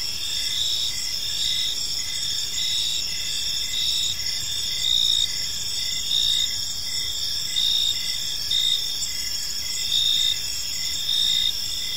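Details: Evening cricket chorus in a serene park, gentle continuous high-pitched chirping layered into several steady tones, with brief louder trilled phrases recurring a little more than once every two seconds throughout.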